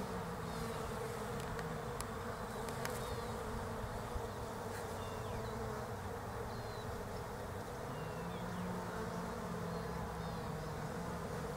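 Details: Foraging European honey bees working Desert Ash blossoms in autumn in Australia, a continuous low buzzing drone rising and falling gently as individual bees pass, with faint clicks in the background.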